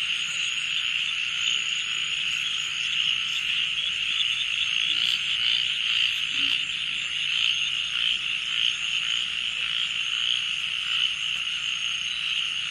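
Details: A dense late-night chorus of crickets at Balishira Resort, Srimangal, gives a steady high shimmering trill with a thin piercing tone above it.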